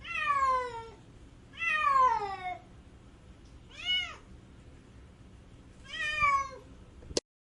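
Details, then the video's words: A cat cries out in four plaintive meows, the first two long and sliding downward, a shorter arched one, then a final falling wail, spaced a second or two apart, ending with a sharp click. "Cat Crying sound effect"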